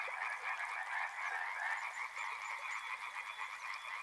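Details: Frog chorus beside a river: a dense, steady wall of overlapping croaks, many callers at once, pulsing unevenly at mid pitch with no pauses across four seconds.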